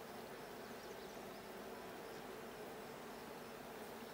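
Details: Honey bees at a blue hive during a hive check on 20 June 2022: a dense, steady buzzing hum with low banded tones that holds evenly throughout, with no pauses or other clear sounds.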